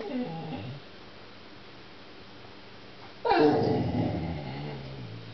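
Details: American Pit Bull Terrier "talking": a low, wavering whine-growl at first, then after a pause a louder, rough, drawn-out vocal sound with a noisy hiss behind it.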